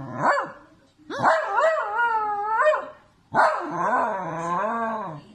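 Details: Sausage dog voicing three drawn-out yodelling barks, each starting with a sharp onset and then warbling up and down for over a second, separated by brief gaps.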